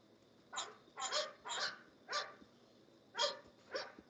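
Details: Barking from English Bulldogs at the Old Red English Bulldogs Kennel: six bright, clipped barks in two bunches with a short pause between them, against a man's encouraging voice and light background noise.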